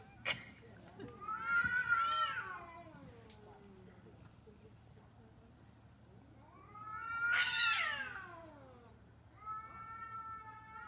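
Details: Street cats in London squabbling over a garbage container: two long, harsh caterwauls swell and fade, rising then dropping in pitch, with a shorter, lower wail near the end and little background noise.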